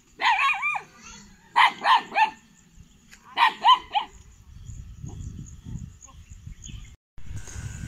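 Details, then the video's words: Kanni and Chippiparai puppies aged 81 days at a Tiruvarur dog sanctuary, 2 August 2021, showing guarding ability; three clusters of quick yelping barks in the first four seconds, followed by low rustling. "கன்னி,சிப்பிப்பாறை நாய்க்குட்டிகளின் 81 ஆம் நாள்.. காவல்திறன்.."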